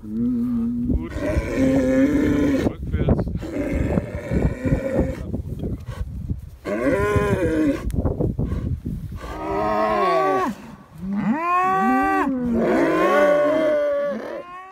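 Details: Sixteen-head Galloway herd on a moor near Barnstorf grieving a young animal killed by a wolf: hoarse, strained lowing at first, then clearer arching moos from several cattle, one after another.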